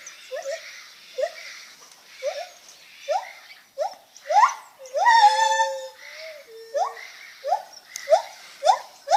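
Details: Lar gibbon making funny noises: a series of short rising hoots repeated roughly every half second, building to a louder drawn-out wavering note near the middle, then resuming the quick upswept hoots.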